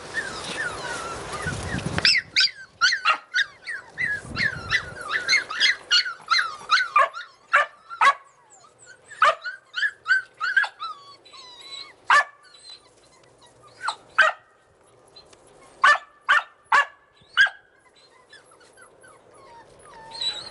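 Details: Australian Cattle Dog puppies in Slovakia give high, squeaky yaps and whines in quick bursts.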